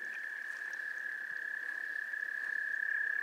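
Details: Wood frogs giving mating calls at a goldfish pond in Gillette Castle State Park on 11 April 2021: a dense, steady chorus forming one continuous high-pitched drone, with no other clear sounds.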